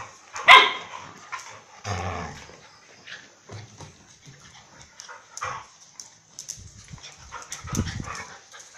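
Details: At Phuket Dog Resort the dogs Mai and Mocca play; one sharp, ringing bark opens, followed by a low rumbling growl, scattered soft grunts, and another deep growl near the close.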